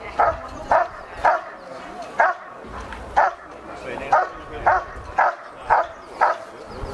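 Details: Dog Ivar vom Falorie barking during protection work (pakwerk) at a dog sport pre-trial of kringgroep Salland, scored 91 points: a rhythmic run of short, forceful barks roughly every half second over murmuring background noise.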